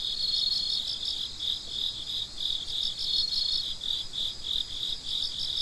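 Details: A nighttime cricket chorus at midnight: rapid, regular pulsed chirps, roughly three per second, in a shrill high band. The loudness gently rises and falls as the callers overlap.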